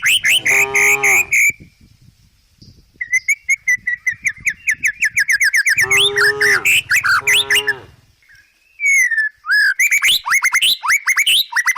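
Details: Tame village cows, herded while foraging in a forest and walking down a country hill: two low, drawn-out harmonic moos, one near the start and a longer one mid-way, with dense chirping and whistling birds throughout.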